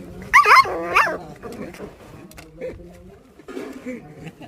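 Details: Puppy being fed chicken indoors, giving two sharp high yelping cries near the start, followed by quieter soft whimpers while a man talks over it.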